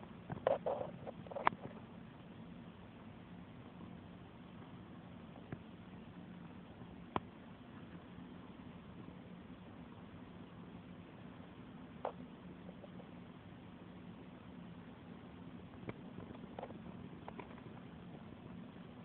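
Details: Domestic cat purring under petting: a low, steady rumble persists throughout, with a cluster of clicks and rustles from handling at the start and scattered taps later.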